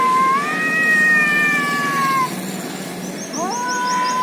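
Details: Cats fighting in India: long, wailing, steady-pitched yowls drawn out for about two seconds, then a rising howl starting again, with a faint chirping sound higher up.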